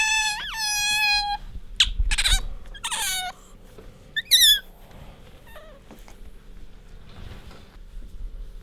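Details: Pet otter Bingo squeaking while rubbing against its owner: a brief whistled squeal that rises and falls, a few short harsh chirps and a high twittering note, then quiet room noise.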